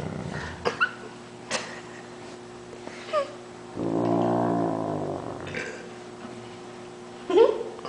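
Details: Great Dane, a pet dog indoors, giving a long low groaning moan likened to a water buffalo while a person pretends to bite his paw; one drawn-out harmonic call lasting over a second, with brief shuffling noises before and after.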